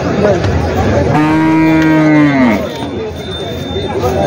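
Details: A water buffalo at Jawla buffalo market, Parbhani, gives a single drawn-out moo lasting over a second, low and even before sagging at the close, amid the steady hubbub of a busy livestock bazaar.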